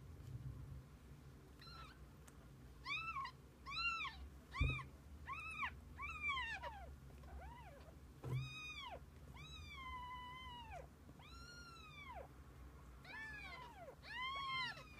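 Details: Kittens spending the day with their mother cat, calling in a steady stream of high arched meows, some short and clipped, others longer and held, with a couple of sharp clicks or knocks in between.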